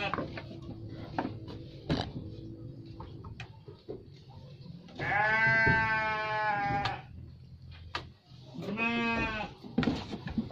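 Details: Garut sheep giving two long, wavering bleats, one around five to seven seconds and a shorter one near nine seconds, over background clatter and low rumble.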